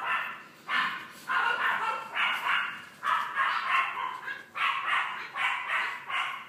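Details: Boston Terrier puppy born on 3 May giving high, clipped barks in short bursts, roughly one burst every second, each a quick cluster of yaps, steady throughout with a soft background murmur.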